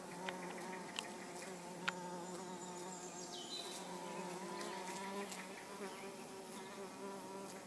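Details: Steady low wing drone of an orange-belted hoverfly, Xylota segnis, with layered overtones throughout, a few soft background clicks and a faint falling whistle midway.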